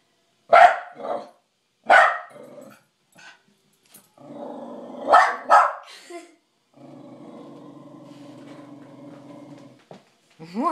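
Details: Charlie, a pet dog barking at night at his reflection, taken for an intruder: scattered sharp barks, a quick double bark midway, then a long low rumbling growl lasting several seconds before a final rising yelp.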